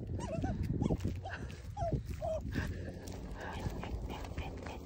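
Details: A dog caught in mud gives several wavering, high whimpers in the first two seconds, then quieter rustling, mud sounds and a person's movements.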